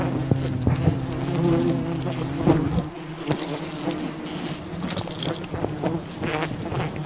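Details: Wild bees at a colony during honey harvesting, a loud buzzing hum for the first three seconds, then a thinner drone with scattered taps and rustling.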